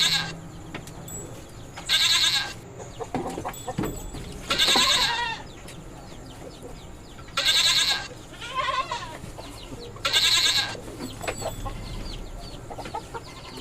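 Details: Goats at a goat farm, described as mating, bleat loudly and repeatedly: four harsh, strained calls of about a second each, roughly every two to three seconds, with quieter wavering bleats between and a low background hum.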